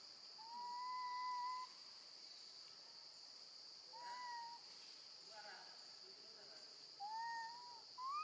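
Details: Infant female monkey cries for her absent mother while left with her grandmother; three long, pure-toned, slightly arched wails, the first held over a second, with a shorter rising cry at the end, amid a steady high hiss.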